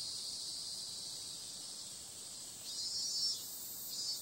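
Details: A nighttime summer chorus of cicadas, noted as periodical cicadas, holds a flat, high-pitched hiss for most of the stretch. Near the end it gives two brief louder swells.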